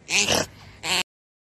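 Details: Hazel, a pet otter, making an unusual noise as she is about to communicate with her owner: two short harsh, breathy bursts with a grunting, snorting quality, separated by a brief pause.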